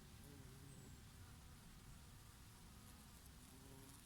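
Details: Bees foraging on oregano blossoms in summer. A low, continuous humming buzz with a few brief tonal whines from passing insects, set over a gentle, airy rush of breeze.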